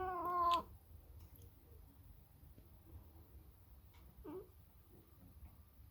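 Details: Sacred Birman cat talking to a seagull: one loud, drawn-out harmonic meow that slides downward in the first half-second, followed by near silence with a faint short call later.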